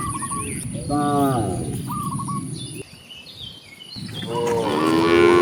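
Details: ['Cows wandering freely on their way to open grassland give a short harmonic moo early on and a louder rising moo at the close, with faint chirps and rural background hum.']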